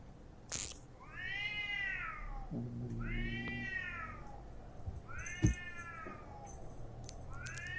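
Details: Stray cats fighting outdoors near a house. Drawn-out wailing yowls arch up and fall back, each lasting about a second and repeating every second or two, with sharp clicks and a low hum in the background.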